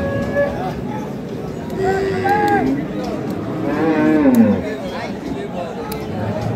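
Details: Dairy cows of Sahiwal, Sindhi and local breeds with calves at Ambari haat, Parbatipur, Dinajpur, on 16 May 2025; one cow gives a short moo that slides downward near the end, amid steady crowd chatter and men talking.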